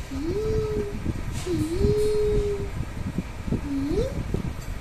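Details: A cat gives three tonal meows: two long, level cries held close to a second each, then a shorter call that rises at the end, over low indoor hum and faint clicks.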